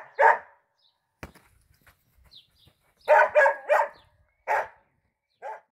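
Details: A football-playing Dachshund, called a Harry Kane wannabe at the 2018 World Cup, barks in short bursts: one opening yap, a sharp knock, then a quick run of three barks, another bark and a final softer one.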